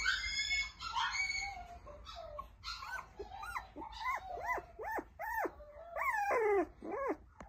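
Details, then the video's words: Male Toy Poodle puppy nursing from its mother gives a run of high, arched whining yelps, each rising then falling, repeated roughly twice a second, with some harsher squeals early on. "トイプードル しっかりした顔立ちの男の子★お母さんのおっぱいを飲んですくすく大きくなってます♫"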